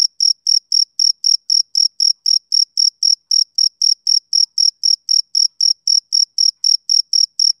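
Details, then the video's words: A male cricket chirps on a summer evening in a steady, rhythmic series of short, high, shrill pulses, about four per second, with no breaks and no other sounds. "Cricket Chirping Sound Effect"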